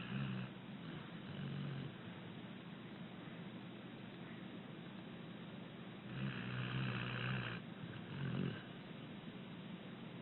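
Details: Abbie, a six-year-old rescued female American Pit Bull Terrier, sleeping and snoring gently: raspy, buzzing snore bursts with a tonal hum, a short one at the start, another near 1.5 s, a long drawn breath mid-clip, then a brief snort, over steady hiss.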